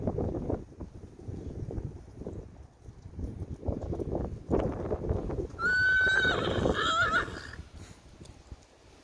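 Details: Grey Percheron mare neighing over steady hoof clopping: a loud, high, wavering whinny lasting almost two seconds, breaking into a shorter shaky second part.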